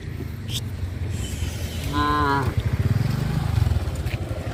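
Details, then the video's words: Cows travelling through a village road toward the livestock pen in the afternoon; one short mid-pitched moo, with a motorcycle-like engine throbbing low underneath and rural outdoor noise. "The cows travel through the village road to the livestock pen in the afternoon-Sound of cows moo"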